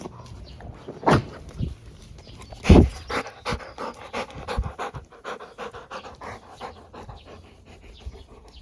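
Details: Relaxed Labrador Retriever enjoying life in an ASMR recording: two loud breathy snorts early on, then a steady run of quick, soft panting breaths, gently uneven, over a quiet room background.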